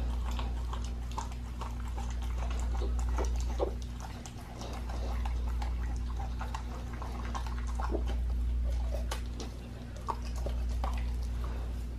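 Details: Pit bull on a raw diet eating a raw leg of lamb: dense, irregular wet crunches and smacking clicks, several each second, over a steady low hum.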